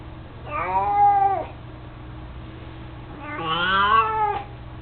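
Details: Mico, an 18-year-old mostly blind, chubby pet cat who carries a toy mouse, gives two long harmonic meows, the second higher and arching, about three seconds apart, against a low steady indoor hum.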